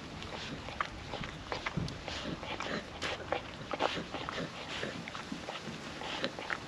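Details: Puppy (female) working wet food out of a food trapper mat outdoors on a windy day, producing continuous moist licking and smacking noises with occasional louder snaps over wind hiss.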